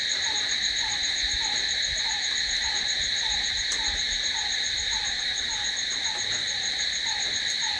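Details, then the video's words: Night chorus of crickets: an unbroken high buzzing trill in stacked bands, plus a quieter descending note recurring roughly every third of a second lower down. "Cricket sound🦗🦗🦗to sleep... Try it.... Night's in hands of cricket"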